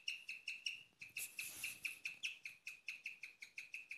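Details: Pet female guinea pig chirping at night, a rarely heard sound: rapid bird-like chirps near one pitch with bright overtones, about four per second, with a louder noisy burst midway.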